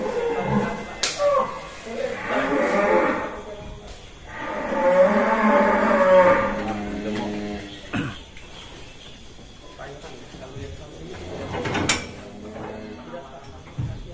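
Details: Huge farm cattle leaving its pen at an Indonesian cattle farm gives two long, tonal moos, the second longer and steadier, followed by quieter voices and handling noises.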